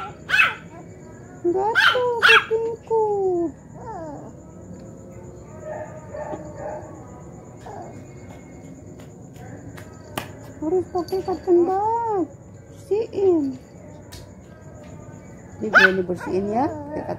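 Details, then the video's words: Poodle, described as a clever cute dog, being talked to by its grandmother: scattered short harmonic whines and yelps, some rising and falling, with quiet pauses between and faint background hum. "HOW GRANY TALK TO CLEVER CUTE DOG POODLE."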